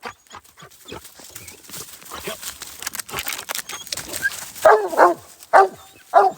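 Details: Smooth, a hunting hound in Iowa, barks at a raccoon up a tree: after several seconds of footsteps and rustling, three loud, full-toned barks ring out about half a second apart.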